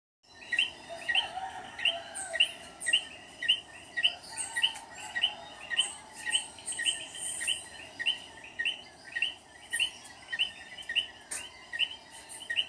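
Coquí frogs calling steadily, short high chirping notes repeated nearly twice a second.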